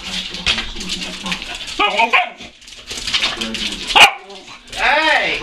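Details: Dog chasing a laser pointer dot indoors, giving short excited barks and whiny yelps with rising and falling pitch, mixed with a person talking.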